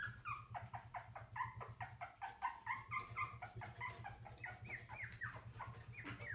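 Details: Puppies between birth and ten weeks of age give rapid, repeated whimpers, short squealing cries that slide up and down, several per second, over a low continuous mechanical hum.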